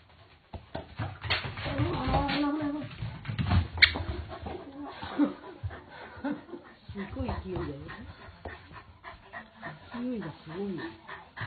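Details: A Corgi whimpers and yips in short, wavering whines that rise and fall, some in quick bursts, while people talk over and between the calls.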